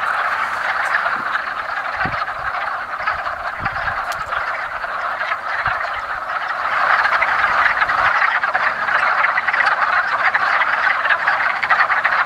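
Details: A spring breeding gathering of wood frogs at a woodland pond gives a steady, dense chorus of short clacking croaks, many callers overlapping, growing slightly louder midway, with a few low thumps beneath.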